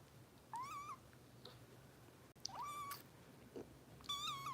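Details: Bottle-fed foster kitten Harper, cared for by kitten rescue volunteers in Los Angeles: three thin, rising-and-falling meows spaced about a second and a half apart in a quiet indoor room.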